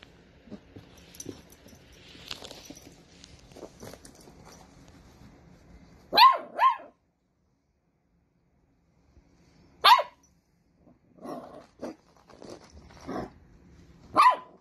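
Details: Dachshund puppies at play give short, sharp barks: a quick pair near the middle, then single barks spaced a few seconds apart, with quiet shuffling and soft household noise between them.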